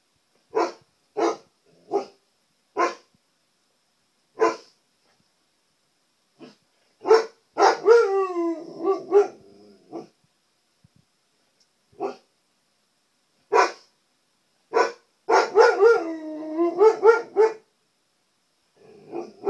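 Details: Indoor Siberian Husky, a pet, vocalising at his own reflection on a TV: scattered short barks, then two drawn-out wavering howl-like yodels, each broken into rising and falling notes, amid further isolated barks.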